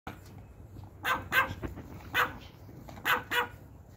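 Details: Pomeranian puppies and dogs of a pack getting treats; sharp, high yappy barks come in quick bursts, about six across the stretch, some paired close together over a low background hum.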